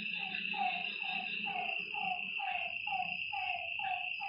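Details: Night frogs at a lakeside, a clear run of evenly spaced, drooping croaks roughly twice a second, backed by a continuous high-pitched insect whine.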